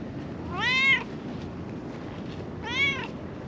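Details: Friendly calico stray cat living on a mountaintop in Japan, following a person, gives two short, clear meows about two seconds apart, each rising slightly then falling, over a steady low background rumble.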